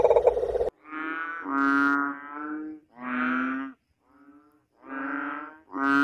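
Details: Crying frog giving drawn-out, moaning harmonic wails, each lasting about a second with short gaps between, after a brief burst of noise at the start.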